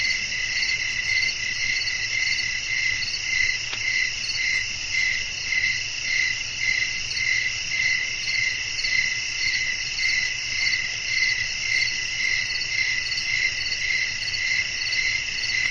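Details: A nighttime cricket chorus outdoors with wind: unbroken high, ringing insect buzz with fast, evenly spaced chirps about two per second, continuing across the whole stretch over a quiet low rumble.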